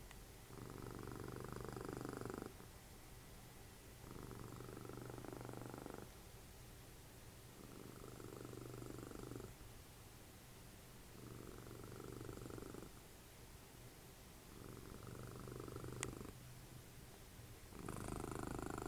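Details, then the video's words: Dessie the cat, mother of Fritjof, snores contentedly while cuddling in front of the TV. Rough, buzzy breaths rise and fall in a slow, steady rhythm every three to four seconds, with one faint click near the end. "Snoring machine, cuddly cat, Dessie"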